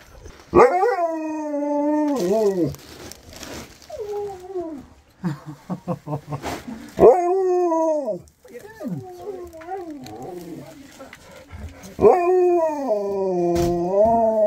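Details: Siberian Husky calling on its best friend at Christmas. Several bending, wavering howls alternate with a run of short rapid yips and woo-like moans. A final long howl trails slightly downward.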